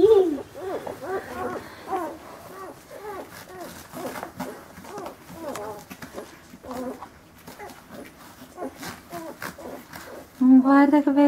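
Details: Rhodesian Ridgeback puppies, born on 25 March, at dinner in Verbania, Italy; many rapid, high squeaky whines and yelps with rising-falling pitch, overlapping people talking, ending in a short loud steady tone.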